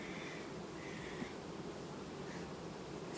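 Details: Honey bee colony in August, 18 August 2019, quietly replacing its queen; a dense, steady low buzzing hum fills the recording, with faint higher tonal streaks drifting through.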